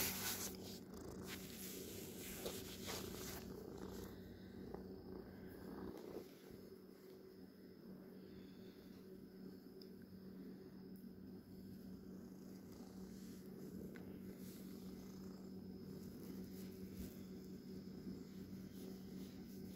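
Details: Domestic cat purring, a soft continuous low rumble with rapid regular pulsing, rustling and handling noises over the first few seconds before settling into a quieter steady purr.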